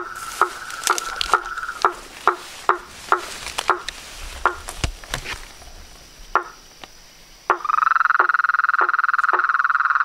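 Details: Pond frogs, toads and treefrogs recorded at nightfall near a house: isolated sharp knocking calls spaced irregularly for several seconds, then a loud dense trilling chorus suddenly swells in and continues with more knocks.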